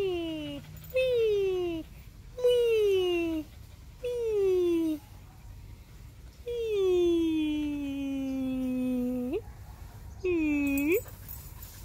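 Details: Husky named Whiskey, a pet wolf dog, making long falling whines while playing with a bird indoors; five drawn-out tonal cries, the longest about three seconds and dropping steadily in pitch, with a person talking nearby.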